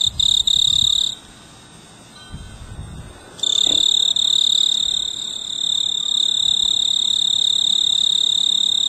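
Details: Snowy tree cricket on a clematis bloom on a veranda in mid-August, a male trilling for a mate. A loud, pure, high trill cuts off after a second, then resumes after a quiet gap and continues steadily to the end.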